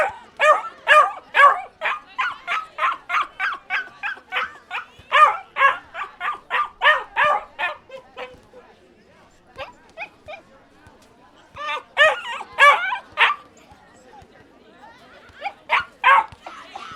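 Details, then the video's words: Dog barking: an unbroken burst of rapid, sharp barks for about eight seconds, a quiet stretch, then short renewed volleys of barks separated by pauses. "Som de Cachorro e Cachorrinhos Latindo"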